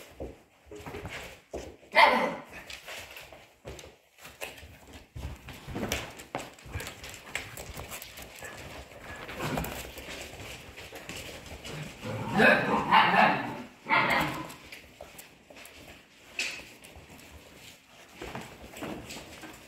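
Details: Playing Polish Hunting Dog puppies aged 55 days: sharp yips burst out near two seconds and again around twelve to fourteen seconds amid constant scrabbling of paws, thuds and low background murmur indoors.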